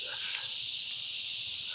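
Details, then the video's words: Loud cicadas, called kuliglig locally, fill a rural outdoor scene in the Philippines with a continuous high, hissing drone that never breaks, with faint low rumbling underneath. "pasensyahan nyo yan guys, mga kuligligis. Ang ingay talaga yung mga kuligligis, no?"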